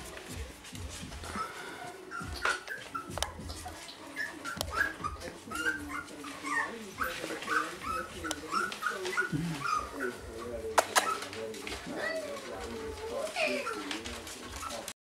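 Basenji puppies whine and yelp in high, wavering, overlapping cries, with people talking in the background.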